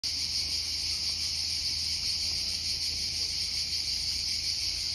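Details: Italian cicadas sing a steady, high, buzzing drone that holds without a break.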